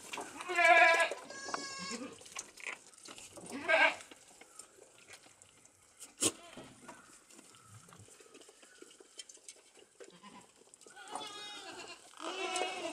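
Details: Young goat kids, one month old, being taught to eat corn offal; loud wavering bleats open the recording, more come near four seconds, and a run of bleats returns at the end, with soft clicks and rustling between.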